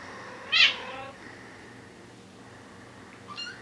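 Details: Young Bengal kittens, four weeks old, indoors: one short, sharp, high-pitched squeaky meow, then quiet background and a faint, brief second cry near the end.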